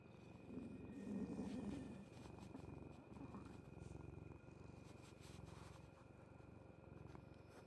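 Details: A cat's stomach noise picked up at close range, dense low pulsing that swells around the second second and then continues steadily in soft waves.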